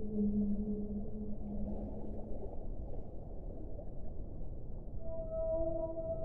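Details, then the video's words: Whale, in a one-hour relaxation compilation: long, steady tonal moans near the low end for about two seconds, then a higher, brighter wavering tone with overtones near the end, over constant low watery rumble. "1 ora di suono delle balene"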